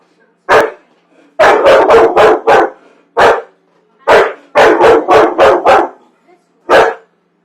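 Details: Pet dog that hates popcorn, barking on a Friday night: loud, sharp barks in rapid bursts of three to five, separated by short pauses, with single barks in between and a quiet background.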